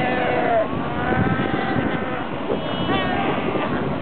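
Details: A dense chorus of Cape fur seals at the Cape Cross colony, Namibia, recorded 3 September 2008, full of overlapping bleating and wavering, sheep-like calls.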